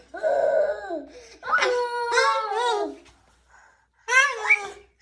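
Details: Kittens meowing in a funny cat compilation: a long wavering cry, then several drawn-out harmonic meows that rise and fall, with a short pause before a final rising-then-falling mew.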